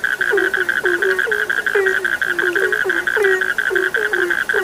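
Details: Chorus of frogs heard as a sleep soundscape, brief falling croaks tumbling in irregular quick succession, layered on a continuous high, even-pitched trilling drone that never breaks.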